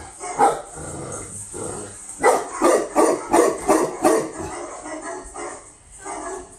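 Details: Newly imported female Tibetan Mastiff from Russia gives a quick run of six loud barks after a quieter opening bark, then falls silent; a person's soothing voice is present around the barking.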